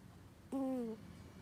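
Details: Sleeping domestic cat producing a peculiar snore, a single smooth whistled breath lasting under half a second, slightly falling at its end, in a quiet room.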